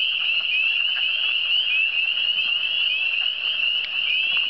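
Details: Many frogs in the Eastern Townships trilling together, forming a constant piercing high-pitched wall of sound with slight wavering pulses and no pauses.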